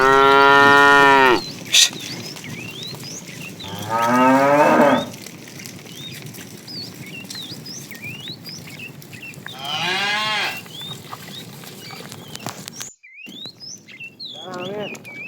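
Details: Calves of a herd of cows wandering in the morning looking for food: three loud, harmonic moos near 0, 4 and 10 seconds, the middle one rising and the last one falling, with many birds chirping throughout.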